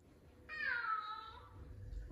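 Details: Big male F2 Savannah cat, very vocal, meowing indoors as if in conversation with its owner: one drawn-out meow that starts bright and slides downward, lasting about a second, in a quiet room.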